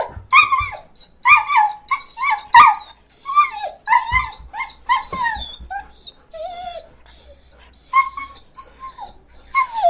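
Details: Dog whimpering, with short high whines repeated in quick, irregular bursts, each a thin bent note that often drops at the end, with soft breathy gaps between.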